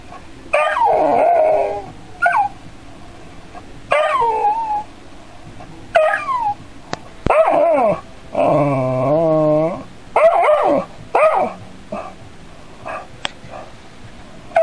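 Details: Dog curious yet frightened by an android robot cat, giving a run of high whining yelps and wavering howl-like cries, some drawn out and quavering, separated by short pauses in a quiet small room.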